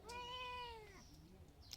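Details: Domestic cat begging for ghee toast, reportedly sulking: one long, steady, nasal meow of about a second that sags at the end, followed by quiet room sounds and a faint click.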